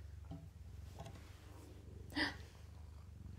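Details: Foster mother cat purring in a cabinet while her five kittens nurse; low pulsing rumble runs under the whole stretch, interrupted by a brief louder scrape or rustle midway and soft clicks.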